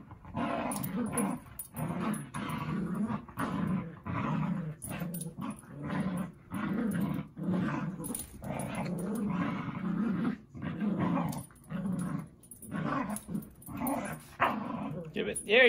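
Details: Zuko playing with Izzy in a small room: sustained, rumbling dog growls broken into many uneven bursts, near-continuous through the middle, with a brief higher yip-like sound at the end.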